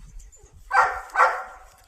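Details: Two loud, harsh barks spaced roughly half a second apart from a German Shepherd of a Bengaluru pack, each fading into a brief tonal tail, with faint low rumbling underneath.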